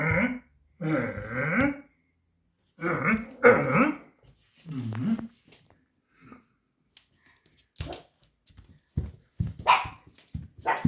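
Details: Five-month-old Pomeranian puppy Ponki barks at a tiger toy it is frightened of. Three bursts of rough, growly barks come in the first five seconds, then sparse short yaps and scuffles, with a person talking softly.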